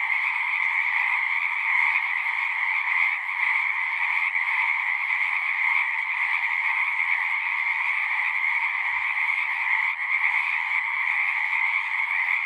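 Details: Massed frogs sing in an unbroken, pulsing drone of overlapping trills, pitched in two strong bands, with brief slight dips in volume and one soft low thump near the end.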